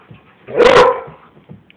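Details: Dog named Walle or Moose playing with a glove indoors: a single loud, harsh bark lasting about half a second, with a person's voice saying drop it just before.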